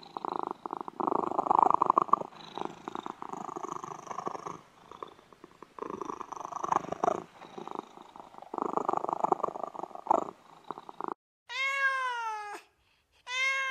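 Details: Pet cat purring steadily in rhythmic, throaty pulses for about ten seconds, then breaking off into a drawn-out meow with a falling tail and the start of another, clear harmonic tones after the rough purring.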